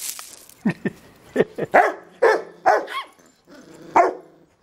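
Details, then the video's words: Fred the Yorkie attacking Robbie, a forgiving Rottweiler: a rapid string of seven or eight shrill barks, some with a rising, yelping edge, rattle out over under four seconds, with a soft growl between them. "Yorkshire Terrierist Rottweiler Attack"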